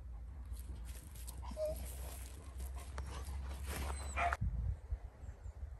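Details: Rescued dogs kept for adoption, among them Caucasian shepherds, Romanian Mioritic shepherds and strays. A short whimpering whine and scattered bark-like bursts rise over a steady low hum, cutting off sharply near the end.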